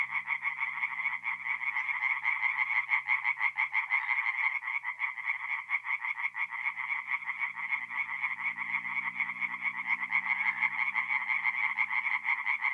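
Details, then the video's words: Night chorus of singing tree frogs at a forest pond in north-east Italy, mid-April; many frogs give fast, rattling croaks that blend into an unbroken pulsing wall of sound, a soft low drone in the background. "relaxing forest pond by night with singing tree frogs"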